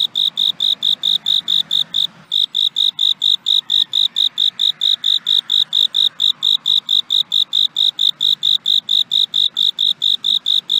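A cricket sings a clear, high-pitched chirp, repeated in a fast, even rhythm of several pulses per second. Apart from one brief break early on, the metallic trilling pulses carry on unchanged over a quiet background.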